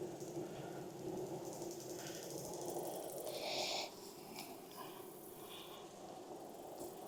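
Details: Colony hum from a honey bee hive during an inspection on a hot Texas day following heavy rain, with possible recent emergence of new bees. A continuous low buzzing is overlaid by rustling and a brief louder burst of handling noise.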